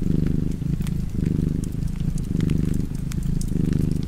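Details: Rumbling domestic cat purr in close, even pulses of inhale and exhale, about one per second, over faint crackle from a burning fireplace.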